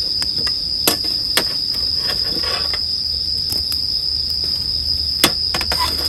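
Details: Bell cricket singing a constant shrill tone while a campfire crackles busily beneath, with frequent sharp pops and snaps spread across the clip.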